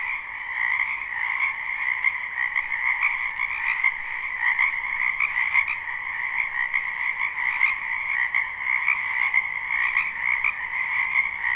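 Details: Spring wetland frogs calling together in a live recording: a thick wall of shrill, fast-pulsed croaks that holds steady for the whole stretch, with small rhythmic surges and no other voices or noises.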